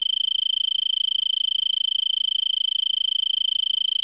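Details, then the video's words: Singing Arizona tree cricket on brittlebush in Vail, Arizona, at 3300 ft, evening of December 26 near 70 °F; a constant high, finely pulsed trill with very regular rhythm throughout. "Arizona Tree Cricket"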